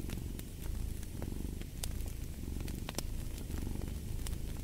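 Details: Steady rumbling purr from a domestic cat, rhythmically throbbing with inhale and exhale, accompanied by sporadic sharp crackling from a fire.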